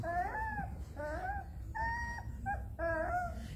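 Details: Puppies of mother dog Jessy crying loudly enough to wake the cats Dirk, Geert and Toen; four or five drawn-out, tonal whines that rise then sag, separated by brief pauses, over a low hum.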